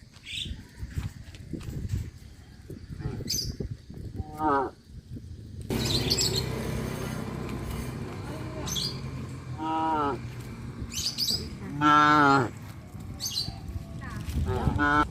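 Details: Village cattle wandering among houses during rice planting season, several scattered moos of varying length, mixed with clattering, a burst of broadband noise and other background sounds.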